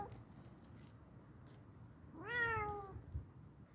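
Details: Cat giving a single clear meow lasting under a second, rising quickly then gliding slowly downward, in a quiet indoor room with low background hum.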